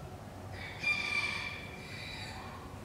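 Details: Northwestern wolf (Canis lupus occidentalis) in the Wildfreigehege Nöttler Berg enclosure at Saerbeck: a high, tonal, harmonic-rich wail lasting about a second, then a fainter trailing note, over steady low background hiss.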